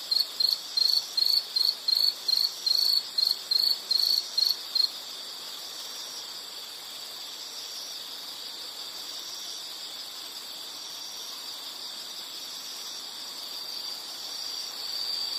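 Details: Insect sound from a nature recording: a run of rapid high pulsed chirps for the first five seconds, then a continuous steady high drone of many insects for the rest.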